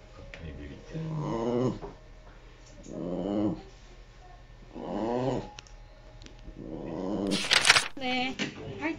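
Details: Elderly 16-year-old Shiba Inu crying at night indoors; four drawn-out moaning whines, about two seconds apart, each rising then sagging, followed by a brief sharp squeak and faint background sounds.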